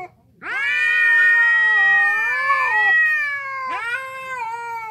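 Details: Ginger street cat howling during a territorial face-off between two strays: a loud, sustained yowl that starts with a sharp upward swoop, wavers through a long quavering middle, then breaks into a fresh rising wail near the end.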